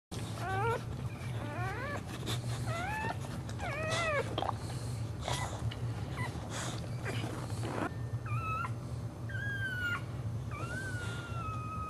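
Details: Dog giving birth while standing: a run of short, rising squeals in quick clusters, then a few longer, steady whistled whines near the end, over a constant low hum.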